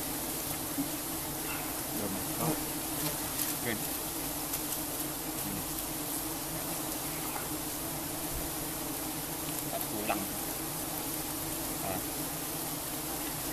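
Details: A dense mass of giant honeybees disturbed by honey harvesting: a continuous, even, low buzzing drone fills the recording, with occasional faint clicks and murmured voices beneath it.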